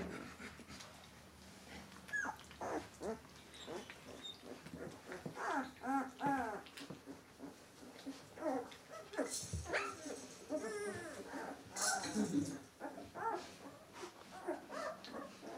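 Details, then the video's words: Litter of 13-day-old White Swiss Shepherd puppies whining and squealing repeatedly, many overlapping wavering high cries rising and falling, with brief louder yelps around the middle. "weisse schweizer Schäferhundwelpen"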